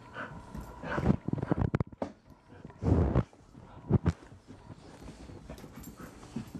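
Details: A stray male Rhodesian Ridgeback named Blaise, found one morning around 9 AM near Mauldin Middle School in Greenville, South Carolina. He breathes in short, noisy, breathy bursts of panting separated by pauses, with a brief loud huff near the middle.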